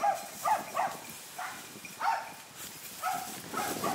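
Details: Hunting dogs that have been chasing a wild boar bark from not far away in the hills; short barks with harmonic bands, about seven across four seconds, in irregular bursts over soft outdoor background noise.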